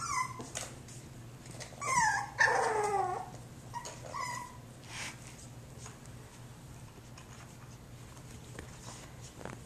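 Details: Eden, a Jack Russell Terrier puppy, lets out a few high whimpers, then a louder cluster of falling, wavering whines; after that come quieter scattered squeaks over a steady low hum in a small room.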